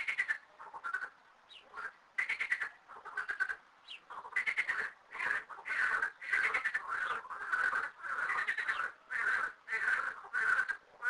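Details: Frog chorus at two little garden ponds holding thirteen frogs: quick rattling croak bursts, about one and a half per second, grow denser and more overlapping as the calling builds.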